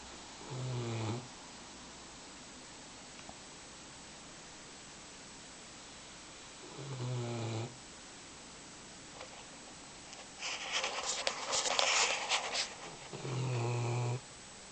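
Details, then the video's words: A wet puppy snores while drying off after a day in the rain: three low, rasping snore breaths about every six seconds, with a brief burst of rustling noise between the last two. "Snoring wet puppy"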